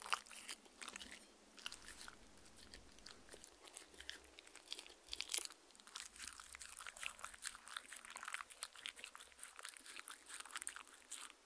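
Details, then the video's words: Mindy the dog drinking from her fancy glass in a quiet room, recorded with a Tascam R-40; busy, crackling lapping and tongue splashes, growing denser in the second half, nobody speaking. "ASMR Dog Drinking Sounds Compilation"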